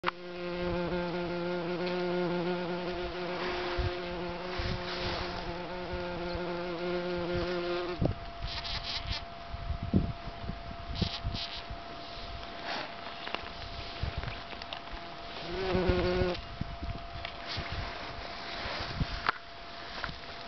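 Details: Buff-tailed bumblebee buzz pollinating cranberry flowers in southern Chile: a loud steady buzzing for the first eight seconds, then softer intermittent buzzes and a short sharp burst near sixteen seconds.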